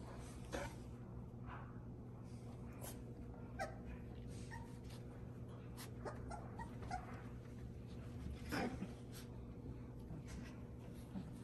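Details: Luna's four-week-old Bordoodle puppies give short, thin, high whines and yips, scattered singly over a steady low hum, with a brighter cluster near the end.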